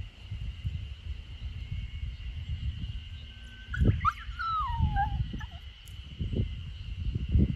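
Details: A 64-day-old Samoyed puppy trying to escape in a garden corner in Niseko, Hokkaido, Japan, on 3 June 2021. Partway through comes a thin, high whine that slides downward. Low rumbling wind, a steady high background tone and occasional thumps run throughout.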